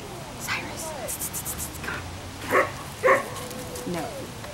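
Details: Afghan Hound called Ava at a picnic outdoors, giving two short, loud barks about half a second apart near the middle, amid quiet human voices and soft background sounds.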